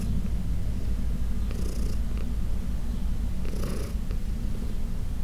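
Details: Senior cat Heidi, once arthritic, adopted from a New York City shelter, purrs while being massaged; a dense low rumbling drone runs throughout, with two brief airy rubbing sounds of hands on fur.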